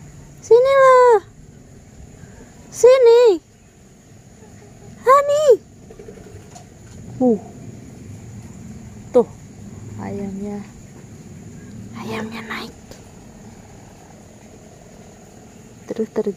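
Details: Honey, a pet cat, utters three loud, wavering meows about two seconds apart, followed by fainter short calls and scattered chirps while a person chats nearby.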